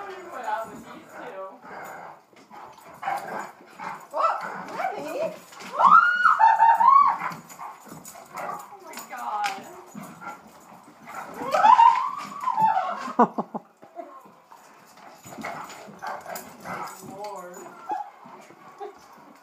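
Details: Play session between a recently adopted Great Dane and German Shorthaired Pointers; loud rising yelping whines in two clusters, around six and twelve seconds, over constant scuffling and clicking, with human voices between.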